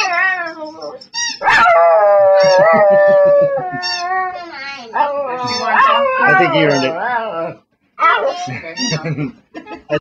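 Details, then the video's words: A dog sings while begging indoors, holding long wavering howls that slide up and down in pitch, broken into several drawn-out phrases with brief yips between, and a person speaking in the background. "Sugar, the Singing Begging Dawgy"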